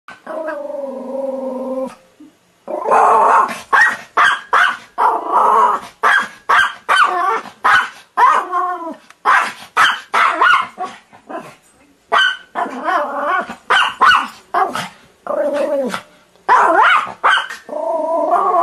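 A Pomeranian barks in rapid, high-pitched, yappy bursts, opening with a drawn-out whine.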